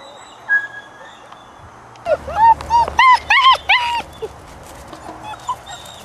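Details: Puppies at play: a run of high, whining whimpers and yelps from about two seconds in, short tonal cries rising and bending at the end, packed closely for two seconds, then a few fainter squeaks over low background hum.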